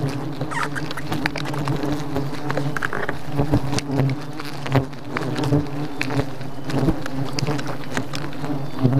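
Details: Thousands of bees attacking, a dense low droning buzz with steady humming bands and a second band above, punctuated throughout by sharp broadband clicks and taps, the loudness holding steady across the whole stretch.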